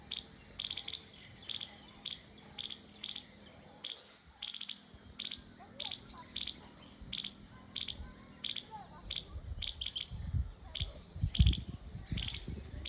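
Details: Squirrel repeating high, sharp chip notes in a regular rhythm, roughly one or two a second, with a low steady hum for most of the clip and low rumbling near the end.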